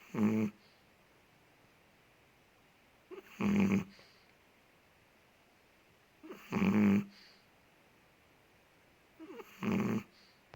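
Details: A big Chihuahua named Ted, living in Indonesia, snores while asleep indoors: four loud raspy snorts with a low buzzing core, spaced about three seconds apart, each preceded by a faint short inhaling squeak, quiet between.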